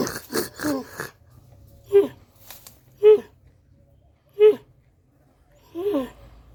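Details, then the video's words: Camel voicing short, throaty grunts repeated roughly every second after an opening burst of breathy pulses, with quiet pauses between calls. "how does camel sound"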